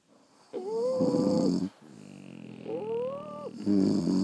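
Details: French Bulldogs asleep indoors, snoring loudly: rough, buzzing breaths with whistled rising tones overlaid, two long snores about a second each separated by a quieter inhale.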